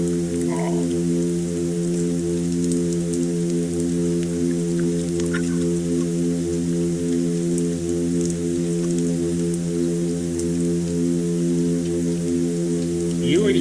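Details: A midshipman, a six-inch intertidal fish heard off a point in the San Francisco Bay area, drones in one deep, buzzy, foghorn-like hum without pause, with faint underwater crackling and ticking.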